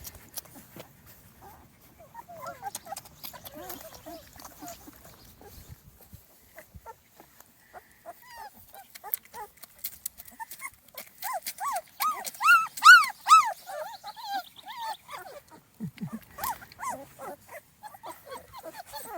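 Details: A two-and-a-half-week-old Small Munsterlander puppy litter on its first outing outdoors; faint rustling at first, then a burst of rising-and-falling whines in the second half, strongest around the middle, fading into soft scattered squeaks.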